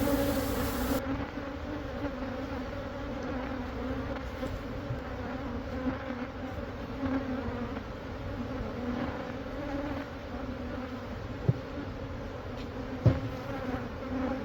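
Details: Large honey bee hive inside a wall at a Catholic church in Monrovia, being relocated to a beekeeper; a long, steady, low buzzing drone from many bees, with a couple of sharp clicks or taps.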